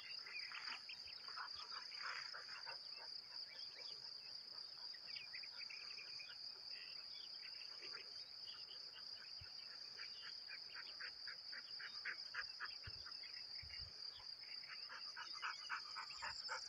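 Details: Outdoor crickets keep up a steady shrill trill from start to end, accompanied by rapid series of short bird chirps and twitters repeating in quick runs, with soft environmental noise beneath.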